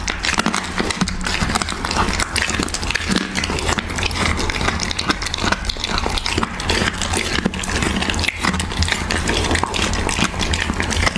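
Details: Siberian Husky feeding on raw beef: close, crisp clicking chews and wet slurping smacks in a busy, unbroken stream, with a faint steady low hum behind.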